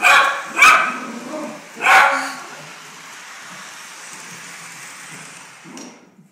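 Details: Maltese dog barking at a Polar Express toy train set: three sharp barks in the first two seconds, the third the strongest, then a low steady hum of the running train with a brief clatter near the end.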